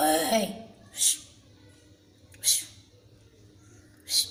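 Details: Kitten afraid of its filmer gives three short, sharp hisses spaced about a second and a half apart, after a brief voice at the start, in a quiet indoor setting.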